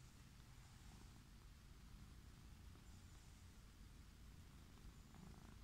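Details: Wild orange tabby cat lying on a lawn, purring with pleasure while being petted: a steady, low, rumbling purr, even and continuous, with soft outdoor hiss.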